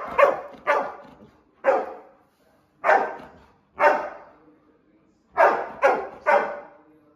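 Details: Labrador retriever barking during Sunday play: sharp, loud single barks, some in quick pairs or triplets, about eight in seven seconds with quiet gaps between.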